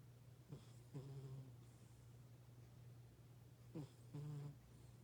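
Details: Lucy, the household's oldest pet cat, asleep and snoring; a few short, low, rasping snore breaths appear over a steady low electrical hum, with quiet pauses between them.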